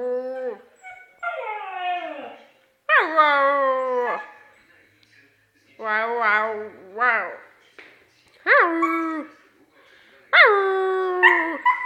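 A Siberian husky howls in long, wavering, rich-toned phrases that rise and then slide downward.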